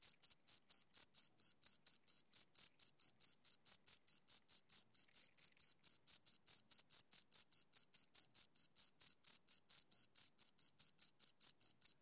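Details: Two crickets chirping, a steady run of short, high, clean chirps repeated about four times a second with a faint higher overtone, on an otherwise silent background.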